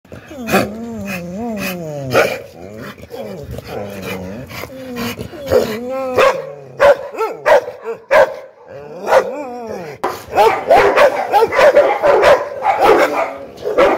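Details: American Pit Bull Terrier barking angrily. The clip opens with drawn-out, wavering whine-like tones that rise and fall, then turns into sharp, irregular barks that come close together toward the end.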